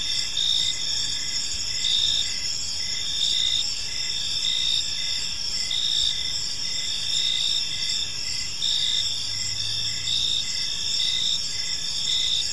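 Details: Cricket chorus in a peaceful park during the evening, sustained high trilling with rhythmic chirp pulses, plus a brief faint low hum near the end.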